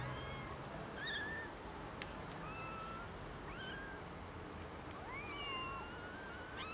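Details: Several small, thin kitten meows from three young kittens found in a garden; high, brief calls that rise and fall, some overlapping, spaced irregularly over a steady background hiss.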